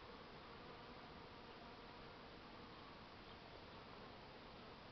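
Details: Working honey bees give a steady, dense buzzing hum that holds evenly throughout.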